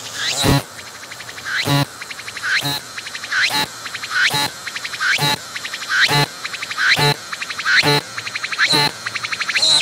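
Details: Close-up of a cicada singing on a tree, belly pumping, captured with 180-degree 3D VR: strong, regular pulsed phrases, each a sharp ringing burst with a rising sweep, repeating a little more than once per second.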